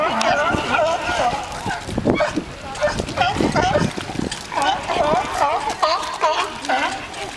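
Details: Crowd of sea lions singing and fighting, their throaty harmonic calls overlapping in a steady din, with rough gravelly bursts and a few clearer rising-and-falling barks standing out.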